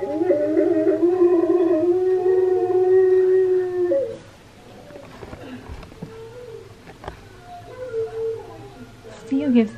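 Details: Singing husky, Steel, set against Key the husky's head-tilting reaction. A loud, sustained, rich howl holds steady for about four seconds, then quieter wavering murmurs follow with a short whine near the end.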